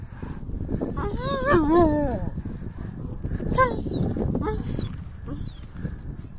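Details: Iranian Sarabi dog whimpering because it wants to play with a female dog it has seen: a wavering rise-and-fall whine, then brief high squeaky whimpers over low outdoor rumble and some human speech.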